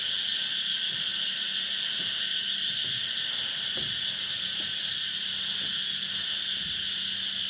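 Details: Insects calling at dusk on Nang Yuan Island, a dense steady high-pitched buzzing chorus with faint pulsing, continuous throughout, over low background rumble.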